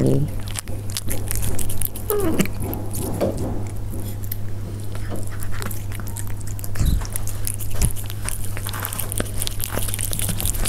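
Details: Close-up chewing from Persian cats at their food, with irregular sharp clicks and crunching bursts, a few louder knocks near seven and eight seconds, and a constant low hum underneath.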